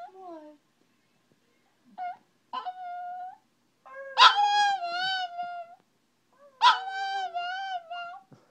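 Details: Pet Chihuahua "talking" as if saying "I love you": short yips, then two long wavering howls, rich in overtones and rising then sagging in pitch, with a lower sliding tone beneath; a person murmurs "Oh" after.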